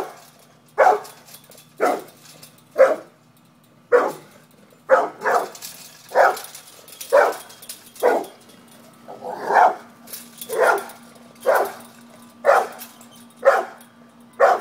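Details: A pit bull confronting a cat barks about once a second, sharp clipped barks in a fairly steady series, one softer muffled bark midway, over a faint constant hum.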